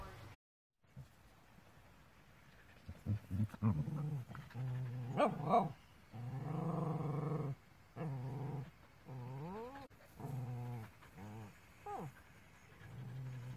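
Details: Dogs at play, a Border Collie puppy with an older female dog while a small dog grows jealous; rough harmonic growls and drawn-out rising, wavering whines in bursts of a second or two, with a brief human voice.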